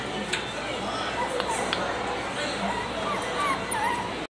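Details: Red female Shiba Inu named Nonoko giving a series of thin, high whimpers, each a short wavering rise and fall, scattered through a few seconds, while people talk steadily in the background.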